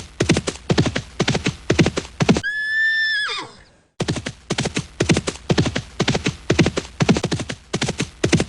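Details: Horse galloping and neighing: steady hoofbeats about two per second, broken by one loud, level whinny with stacked harmonics lasting over a second that drops at the end, then the galloping resumes.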